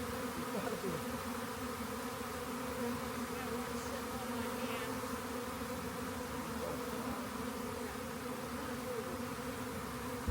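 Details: Honey bees in a swarm being gathered into a box, their even droning buzz set against a bright wash of background hiss.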